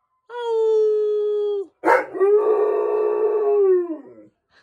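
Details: A Utonagan dog named Chester howls along to fire truck sirens: two sustained, mournful howls, each held level on a rich tonal pitch and sagging at the end, with a brief harsh yelp between them.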